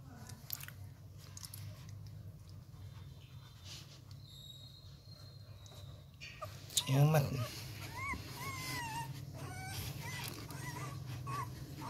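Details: Eleven-day-old Rottweiler puppies at Gervi Kennel, hungry before feeding time and bottle-fed because their mother lacks milk. After a low indoor hum, a burst of high, wavering whimpers and squeals rises and falls, with a human voice nearby.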